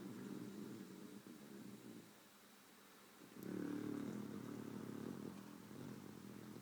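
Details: Sleeping pet beagle, a female, twitching as she snores: low, grating rumbles swell in two-second waves, a softer lull near the middle, then a louder snore and another rising breath, over a faint constant hum.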